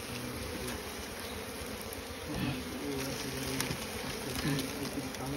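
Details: Asian honey bees buzzing at a straw nest as people gather honey; a thick, constant, unbroken hum throughout, with brief human voices partly over it in the second half.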